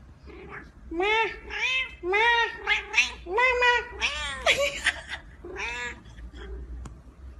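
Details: Domestic cat giving a run of loud, drawn-out meows, each rising then falling, about a dozen in quick, uneven succession, some strained and wavering like a caterwaul, over a quiet indoor background.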